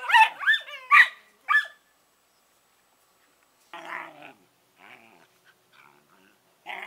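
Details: Two Collie puppies, Norris and Amica, 11 weeks old: a few short yelping barks with warbling harmonics in the first two seconds, then silence and faint, soft grumbling sounds.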